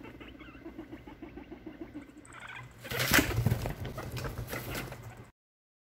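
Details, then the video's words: Three six-month-old male guinea pig brothers fighting in their cage late at night, with the dominant Ebee involved. Rapid harmonic squeaks and chirps come first, then a loud broadband burst of scuffling and thumping. "Guinea Pigs Fight"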